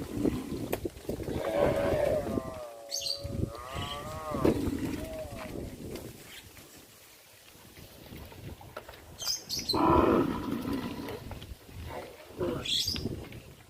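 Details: Cows on a traditional village farm moving along the road toward the pen in the afternoon; a wavering harmonic moo around two to four seconds amid steady background noise, with another lowing call near ten seconds.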